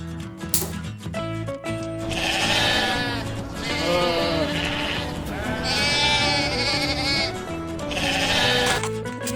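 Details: Sheep, presented as a farm animal, giving several wavering, quavering bleats of a second or two each, heard over loud continuous background music.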